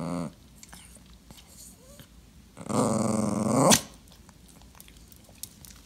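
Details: Clingy dachshund being ignored indoors: a brief low grumble at the start, then one loud, rough, drawn-out whining groan lasting about a second and rising sharply at its end, in an otherwise quiet room.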